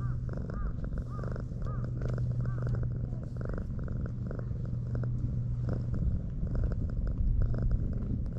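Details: Stray tortoiseshell cat found sleeping on a breakwater, purring as it is petted and warms up to the person, recorded on a GoPro HERO8 Black; a low, steady rumbling purr runs for about six seconds with outdoor wind noise behind it.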